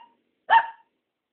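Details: Single sharp, high-pitched bark from Tom, a newly adopted mixed-breed dog, short and bright with a quick falloff, indoors, with silence before and after.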